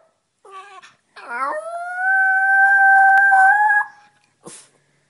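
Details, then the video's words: Boogie, a talking chihuahua, gives one long, sustained, tuneful howl that steadies into a held note after a few short wavering whimpers, ending with a brief sharp noise. "Boogie can't talk so he sings the blues"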